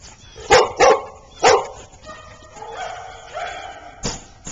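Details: Play barking from a golden retriever and husky at Oxford Pet Resort daycare: three loud, sharp barks in the first second and a half, then softer whiny vocal sounds and a final brief burst.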